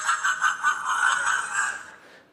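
A fishing cat gives a harmonic, nasal call, pulsing briefly before stretching into a steady wavering tone.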